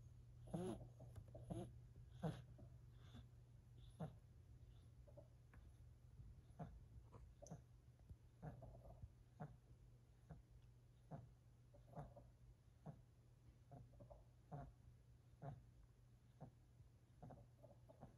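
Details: Four-month-old silver Siberian kitten snoring indoors: faint, soft breathy puffs and small clicks recurring about once a second, with occasional slightly louder snorts, over a steady low hum.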